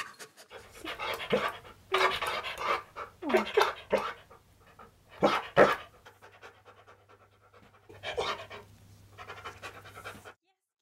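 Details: Key, a Siberian Husky, working to get food out of a deep jar and flipping it: bursts of quick, breathy panting in short clusters, with sniffing and small clatters between them in a quiet indoor room.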